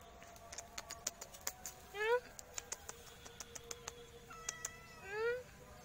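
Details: Sweet black cat giving two short meows, each a harmonic wail sliding up then down, about three seconds apart, over a run of sharp clicking taps and a quiet background hum.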